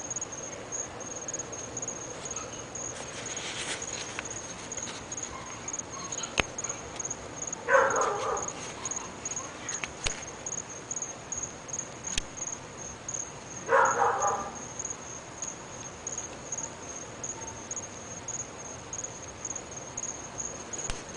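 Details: Neighbour's dogs, one of three kept at a home in North Bay Village and said to bark morning, noon and night. Two short, distant barks come about six seconds apart over a steady high insect-like whine and faint scattered clicks.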